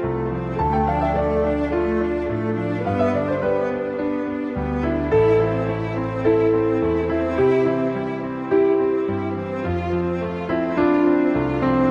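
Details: Slow, mournful bowed-string music with cello and violin plays throughout, and no animal sound is heard.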